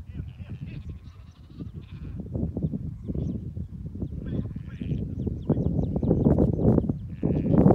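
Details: Rare Cladoir sheep from an ancient Irish flock descending a Connemara mountainside in Ireland; several thin bleats come and go over a constant low rumble of movement and wind, louder toward the end.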